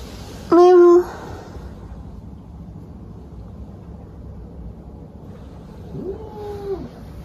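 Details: Pet cat with a loud, flat, sustained cry lasting about half a second, then quiet hum, then a softer arched meow rising and falling near the end.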